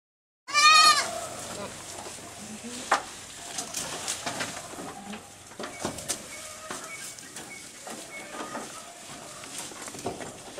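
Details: Small goats on a goat farm eating grass very fast in the evening; one loud, wavering bleat near the start, then quieter rustling, chewing and scattered clicks for the rest.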